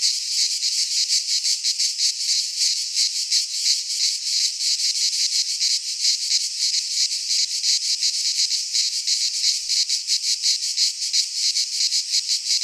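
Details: Greek pine-forest cicadas in midsummer produce a sustained shrill buzzing chorus, finely pulsed at nearly three beats per second, steady throughout with nothing else audible.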